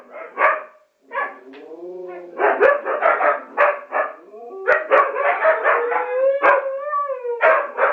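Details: Several huskies and a Chihuahua vocalizing together indoors: overlapping wavering howls that slide up and down in pitch, broken by sharp yips and short barks, with a sustained rising-then-falling howl near the end and dense, continuous chorusing throughout.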